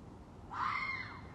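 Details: Red fox at night in mating season: a single short, raspy, baby-like scream that rises and then falls away, set against a steady low rumble.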